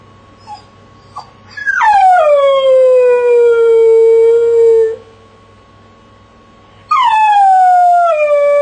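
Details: Pet dog Jessie in a crate, two faint yips leading into a long falling howl of about three seconds, a pause, then a second howl starting high and sliding down; a steady faint hum underneath.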